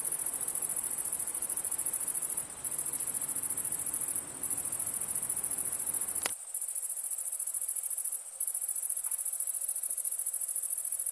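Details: Summer-night cricket song gathered for a free sound pack: a continuous, thin, very high shimmering trill with short regular dips about every two seconds. The low background drops away abruptly midway.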